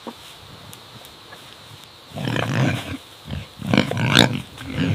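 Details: Pig on a farm grunting: near-quiet opening, then from about two seconds a run of low, rough, noisy grunts in short bursts, loudest near the end.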